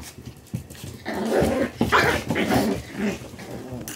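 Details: Shiba Inu puppies play-fighting indoors: low, rough growling and grumbling in uneven bursts, rising and falling through the clip, with brief yelps; a small room setting.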